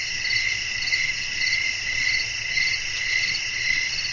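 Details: Crickets calling on a windy night in nature, a thick shrill drone with soft, blurred chirp pulses close to two per second and a faint deep rumble underneath.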